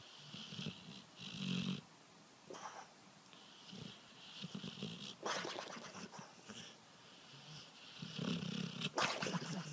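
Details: A sleeping dog snores in soft, rough, breathy rasps that recur irregularly every few seconds. A few sharp clicks and brief noisy rustles cut in between the breaths.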